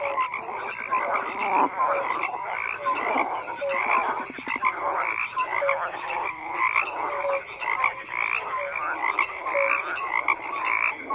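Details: A continuous frog chorus: many animals croaking at once, raspy pulsed calls layered over one another, with short clear tonal notes scattered throughout and no pauses.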